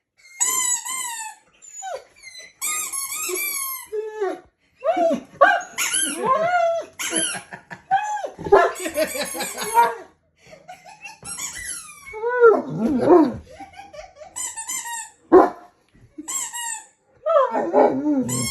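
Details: A poodle whines and cries in high, wavering squeals, broken by short yips, on hearing a squeaky sound.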